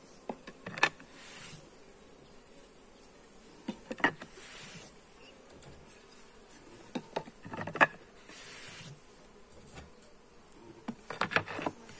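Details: Buzzing of honey bees during a hive inspection, recorded with a Xiaomi Redmi Note 8: a continuous hum broken by clusters of sharp clicks and knocks about every three to four seconds as frames are handled.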